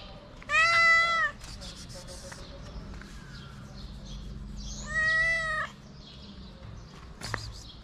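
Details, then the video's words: Homeless street cat in Morocco begging for food at the top of its voice, two long, strong meows about four seconds apart, level then dipping at the end, with soft outdoor noise and a brief click between. "My cute friend's stray cat meows at the top of her voice for food."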